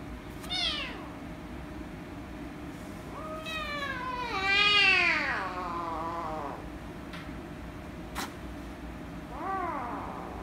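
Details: Loud meowing from an angry rescue kitten while being petted: a short high meow, then a long wavering wail that rises and falls, and a final short meow after a pause, with a faint tap between.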